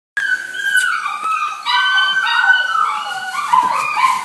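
A Rottweiler gives drawn-out, wavering howls and whines rather than short, sharp barks.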